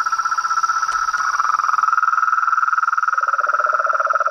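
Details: Nightfall frog chorus at a reservoir pond by a house veranda, toads and treefrogs together; a continuous fast pulsing trill dominates, a deeper rattling trill joins near the end, over a constant high-pitched hum.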